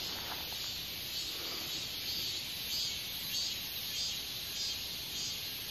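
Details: Katydid calling in a continuous shrill high buzz, with faint brighter pulses roughly every half second riding on top and only light low background noise.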